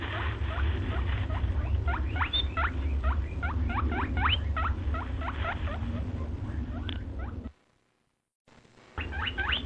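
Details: Steady stream of high, rising squeaks from a white rabbit, several each second, over a heavy low hum, then a short pause of silence before the squeaking picks up again.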